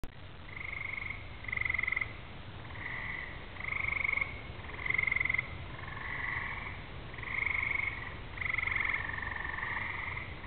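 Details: Chorus of frogs singing on a summer evening as rain approaches, with fireflies flashing and distant thunder: overlapping buzzy trills in two pitched bands, swelling and fading in waves, each lasting a second or two, over a low rumble.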